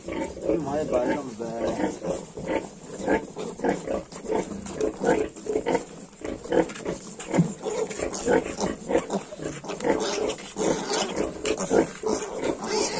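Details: Grunting from 22-day-old Yorkshire piglets: steady, low, harmonic grunts come in quick succession throughout, broken by a few sharper squeaks, while a person talks nearby.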